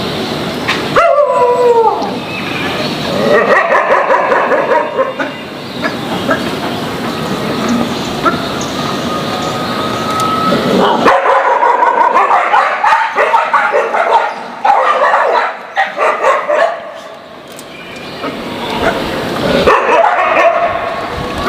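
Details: Several dogs unhappy with each other bark loudly and irregularly, with yips and a whimpering whine near the start, bursts roughly three per second, breaking off into quieter stretches before resuming.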